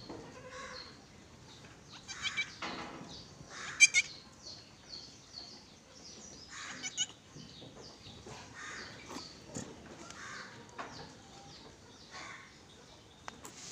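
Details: Goats on a goat farm in Gulbarga, Karnataka, bleating in several short, wavering, nasal calls scattered through the stretch, some louder and closer than others, over steady hissing farmyard background noise.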